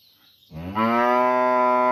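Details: In a village in the morning, one cow was taken away for vaccination; a cow lets out a loud, steady moo, calling to the separated cow.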